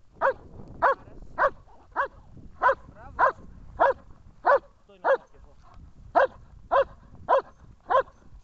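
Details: German Shepherd barking during protection training in Horlivka, recorded 14 February 2021: a regular run of sharp, mid-pitched barks about every half second, steady and forceful, over a low background rumble.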